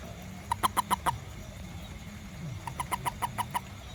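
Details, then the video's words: A toad out after rain, searching for ants in a garden near a home, gives two rapid bursts of short clucking notes, five and then seven in quick succession, with a quiet gap between them. "WONDERFUL SOUND OF TOAD 🐸 FROG ADILU"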